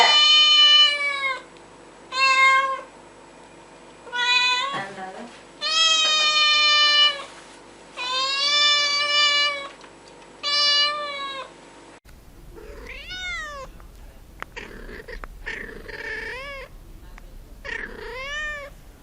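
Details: Domestic cat meowing: long, loud harmonic meows repeated about every one to two seconds, some held and wavering, then a second stretch of shorter rising-falling meows over faint background noise.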